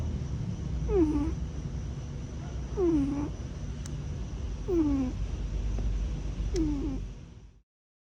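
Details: Foster cat Tiger, grey tabby and company cat at a warehouse compound, snoring or pining for his brother Buddy: four high, downward-sliding nasal squeaks spaced about two seconds apart, low rumbling background, sound ending abruptly.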